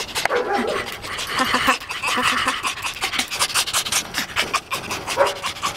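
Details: Tame fox, very excited and pleased to see its keeper, gives rapid, breathy, broadband panting puffs with a raspy chatter that run almost continuously. A human voice is faintly mixed in.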